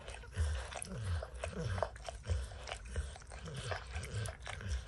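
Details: Dog named Max licking peanut butter and kibble off an orange mat, close up: deep rhythmic lapping thuds about once or twice a second, mixed with wet smacking clicks.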